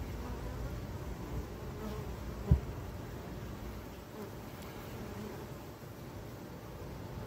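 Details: Many honey bees at urban hives kept in Ontario, a continuous deep droning hum without pauses, broken once by a short sharp knock midway through.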